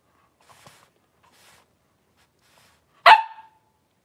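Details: Three-week-old blenheim Cavalier King Charles Spaniel puppies, a litter of five born on New Year's, wrestling and playing in an indoor puppy pen; near-silence with faint rustles, then one sharp, high, short yip near the end.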